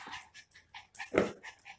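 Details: Pet Miniature Pinscher indoors after making a mess of the house: a short run of thin, high whimpering yips, about six brief tonal bursts in under two seconds, the strongest near the end, with a person talking nearby.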